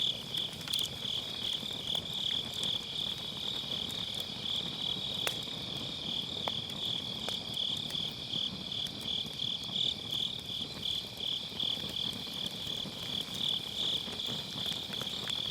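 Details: Autumn-night grass insects trill beside a crackling campfire, captured on a Sennheiser MKE600 with low cut; a continuous high-pitched pulsed chirring stays level and unbroken, while a few snaps of burning wood pop through.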